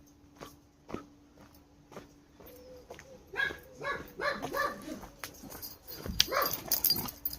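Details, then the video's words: On a walk through a quiet farmer's field with birds around, another dog somewhere beyond the fences barks in quick runs of short, rough yaps after a few quiet seconds of footsteps, over a steady low hum. "Poppy doesn't like the other dog barking."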